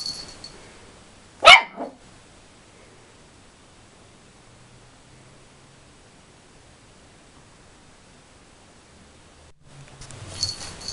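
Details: A 13-week-old male puppy barks at his own mirror image: a single loud, high, sharp bark, then near silence with faint room noise, and rustling movement at the end.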